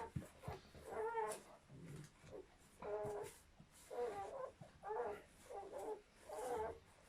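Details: German Shepherd whelping a litter of seven newborn puppies; short whimpering squeals with clear harmonics, repeated roughly once a second in a steady series, in a quiet indoor room.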